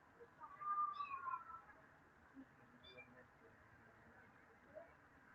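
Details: A cat in summer lets out one clear, drawn-out meow that slides gently downward, followed a couple of seconds later by a shorter, fainter mew, over a quiet outdoor background.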